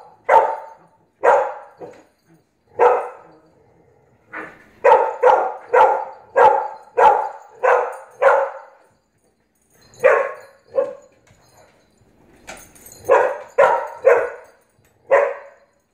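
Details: Barking from a Blue Pit Bully puppy "dominating" an adult Staffordshire Pitbull Terrier: about twenty short, sharp barks over sixteen seconds, some single, others in rapid runs of four to six, with brief gaps between bursts.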